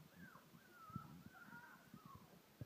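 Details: Collie puppies, three weeks old, curious and moving about indoors in a living room, give drawn-out, wavering high whimpers that fall in pitch, several in a row, with low bumps and pattering underneath.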